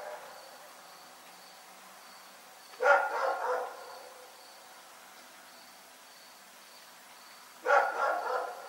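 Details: Rex the dog barking in the night, giving two bursts of rough, harmonic barks about five seconds apart, each burst of two or three quick barks, over a quiet background with a thin high tone.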